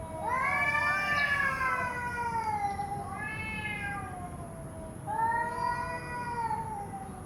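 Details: Domestic cat meowing in drawn-out, wavering calls: a long falling meow over the first three seconds, a shorter one near four seconds, then another sustained meow from five seconds, with steady background hiss.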